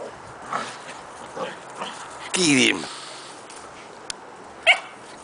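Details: Two 12-week-old Keeshond puppy brothers, Shadow and Smoky, wrestling in a play match; one short, loud, harmonic yelp bursts out mid-clip among soft scuffling, with a person's voice egging them on.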